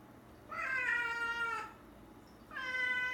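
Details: Rescued house cat meowing indoors at night because it wants to go out: two long, clear meows about two seconds apart, the first holding steady and then falling slightly, over a quiet room hum.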